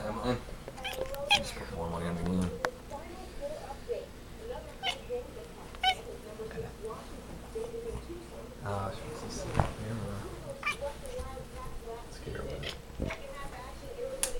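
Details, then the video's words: Female pet cat indoors chasing a flashlight beam, giving a string of quick, short chirping calls in rapid bursts, while people talk and ask what she is doing. "Weird Cat Noise"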